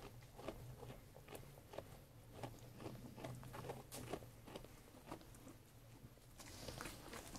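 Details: Sheep eating food, making quick crisp crunching bites about twice a second, irregular in rhythm, with a low steady hum and a brief rustling hiss near the end.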